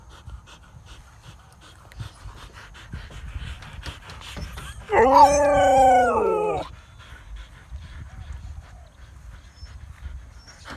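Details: Siberian Husky running and exercising in a field in Thailand, giving one loud, drawn-out, slightly arching howling whine of about a second and a half, with rich harmonics, among soft panting and rustling in the open.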